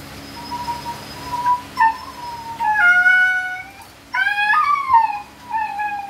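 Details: A Siberian Husky during natural mating cries in long, high-pitched whines, some sliding down and others rising into yelping, howl-like notes, over a faint, steady mechanical hum.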